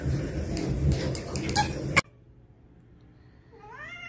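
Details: Domestic cat giving a single short rising meow with bright harmonics near the end, after two seconds of loud rustling and handling noise, then quiet.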